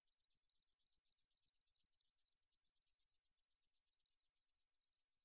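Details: 등줄어리쌕쌔기 katydid singing, National Institute of Biological Resources, 2020: sharp, sizzling high pulses ticking about four times a second in a steady chain, nothing else audible.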